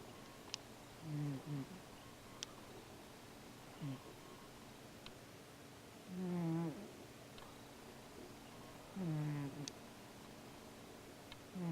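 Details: Sleeping Siamese cat snores while dreaming and stirring in his sleep; low rasping breaths come roughly every two to three seconds, some drawn out with a wavering upper edge, against quiet indoor hum with occasional small clicks.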